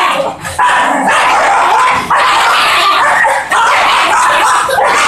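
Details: Fox terriers giving loud, sustained, high whining howls in long stretches, broken by brief pauses near half a second, two seconds and three and a half seconds, with overtones stacked above.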